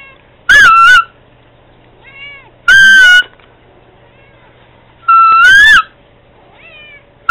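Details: A house cat calling to Candy with three loud, harsh meows about two seconds apart, each a brief upward bend falling away. Faint thin tones sound between calls.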